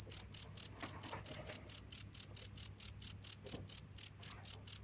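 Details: Continuous cricket calling: sharp, shrill chirps repeated at a brisk, fairly even pace of about four per second, with a soft low hum underneath.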